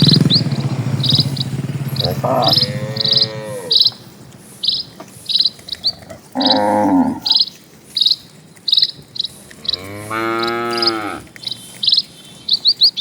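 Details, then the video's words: Dozens of cattle slowly crossing a quiet rural village road: several drawn-out, arching moos with rich harmonics, some rising then falling, set against a steady series of short, high bird chirps repeating about every half second. "SUARA SAPI"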